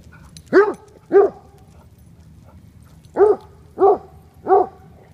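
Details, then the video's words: Black Russian Terrier, a 12-month-old female, barking while having fun at play: deep, short barks in a loose series, two together, a pause, then three more spaced about two-thirds of a second apart. "Inka, 12 months old BRT having fun"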